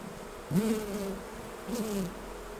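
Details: Two brief passes by honey bees during a hive honey harvest, each a low droning hum that bends slightly in pitch and fades, over faint background hiss.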